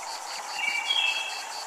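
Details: At a Japanese temple, cicadas give a high, steady buzzing drone with a soft pulsing beat, over faint chime tones and water.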